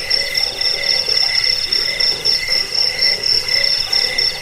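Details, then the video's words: Crickets used as a rat deterrent, bedtime sound and bird-training tutor: a busy chorus of fast, shrill pulsing trills, stacked high tones rising and falling in short, rapid swells. "Suara jangkik pengusir tikus pengantar tidur"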